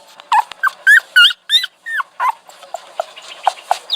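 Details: Whining dog with a rapid run of thin, wavering, high-pitched cries packed into the first two seconds, then softer, shorter whimpers trailing off against a light steady hiss.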